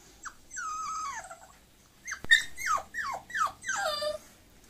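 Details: Bulloxer, a mixed-breed dog, whining: a brief high whine, then a long whine sliding downward, followed by four sharp downward-sweeping yelps about half a second apart in a quiet room.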